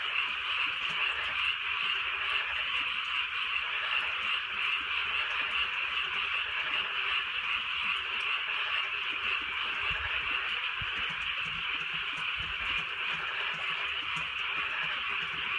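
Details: Night chorus of frogs in the countryside while soft rain falls; countless overlapping croaks merge into an unbroken trilling drone, steady in loudness throughout, with light rain patter in the background.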